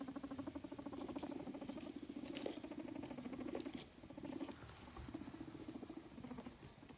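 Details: A guinea pig rumbles while doing a rumble strut, a low, rapid vibrating purr pulsing steadily with brief pauses.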